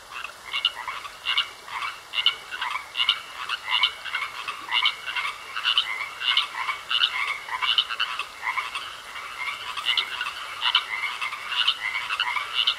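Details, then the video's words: Croaking frogs at a pond, many calling together: repeated grating, pulsed croaks at a fairly regular pace of about two per second, layered over a continuous high-pitched trill. "Sounds Of Frogs Croaking In A Pond"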